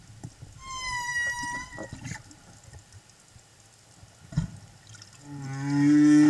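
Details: A singing humpback whale escort accompanying a mother and calf at Silver Bank, Dominican Republic, in April 2015: a sustained, wavering tonal moan rich in overtones, then after a pause and a few clicks a low groan swells and bends upward, loud and resonant.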